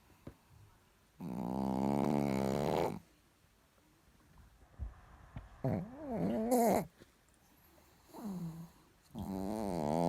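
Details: Chihuahua Richard sleeps and snores: a long buzzy snore with a steady humming tone, then shorter snores whose whistling pitch swoops up and down, separated by faint snuffles.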